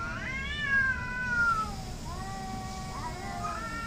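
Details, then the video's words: Cats in a fight, hating each other: a loud wavering yowl that slowly falls in pitch, followed by lower drawn-out moans and a rising howl, with faint background rumble. "cat fighting, hating each other"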